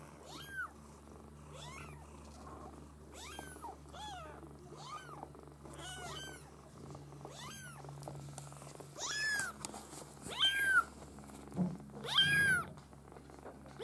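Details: A litter of Maine Coon kittens from a breeder mews in thin, high, arched cries that repeat and overlap, with a low steady purr beneath.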